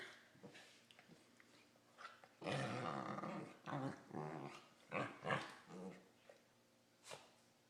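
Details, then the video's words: Two pet corgis mouthing each other in play, making weird Wookiee-like noises: growly, harmonic groans and moans in uneven bursts, one long drawn-out grumble followed by several shorter rising and falling growls and whines, in a quiet indoor room. "Corgis Making Wookie Noises"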